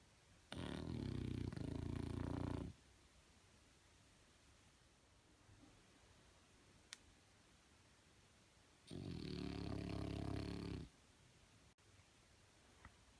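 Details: French Bulldog snoring: two long, harsh, rattling inhaled snores about two seconds each, roughly eight seconds apart, with quiet room stillness between.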